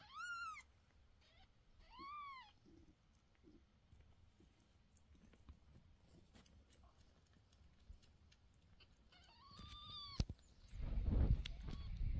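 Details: Mother cat calling her kitten, which runs away from her and won't eat; two short, arched, harmonic meows in the first seconds, then a longer, drawn-out meow near ten seconds, followed by loud rustling and thumping handling noise.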